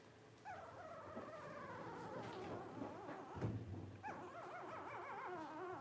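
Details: Several 12-day-old blenheim Cavalier King Charles Spaniel puppies, a litter of five, whine together in overlapping, trembling cries that slide and wobble in pitch, with a soft thump midway and continuous quiet room noise.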